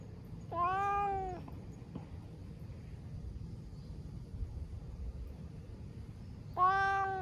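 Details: Orange tabby cat, a stray that loves being stroked, meowing while enjoying a massage outdoors; two drawn-out harmonic meows with a slight rise and fall, one at the start and one at the end, quiet murmur between.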